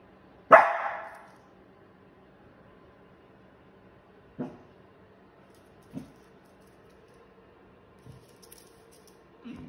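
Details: Female wheaten Scottish Terrier, born May 2020, playful indoors until she hears someone at the door: one loud, sharp bark opens, followed by three shorter, fainter barks spaced a few seconds apart in an otherwise quiet room.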